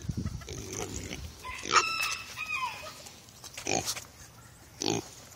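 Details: Two Kunekune pigs talking on the way to their dinner tray after being called: low grunts, a brief tonal squeal that rises then falls, and further short grunting bursts near the end.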